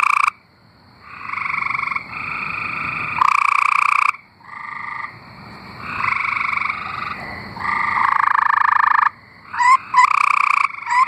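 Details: Several tree frogs singing in Arkansas: long, buzzy pulsed trills, some loud and some softer, overlap and alternate in bursts of one to three seconds, with a few short rising chirps near the end.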